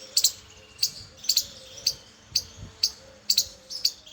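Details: Short, bright, clicking chips from a squirrel come singly and in quick pairs in irregular bursts, roughly twice a second, over a faint steady low hum; squirrel.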